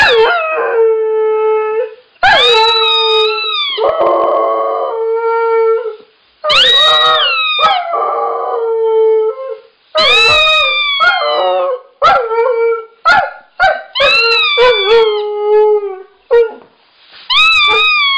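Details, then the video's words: Siberian Husky in a long howling bout: repeated drawn-out notes that start high and descend, then quicker broken yips and short howls toward the end, with only brief silences between. "Husky Howling"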